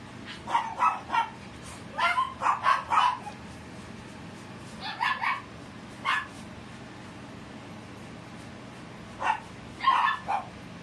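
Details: Female Cavalier King Charles Spaniel puppy born 2 August 2018, giving short high yips and barks in small bursts of two to four, with pauses between groups, over a quiet steady background hum.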